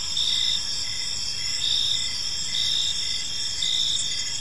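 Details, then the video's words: Crickets chirping in a park on an evening, a steady high shimmering trill with short pulses repeating about every half second beneath it; no other clear sounds. "Cricket Sounds in a Peaceful Park"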